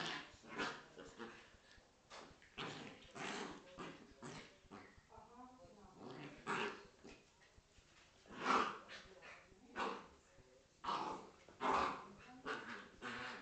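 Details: A Corgi and a Scottish Terrier at play give rough growls and sharp barks in scattered loud bursts, several clustered near the end, with people talking in between.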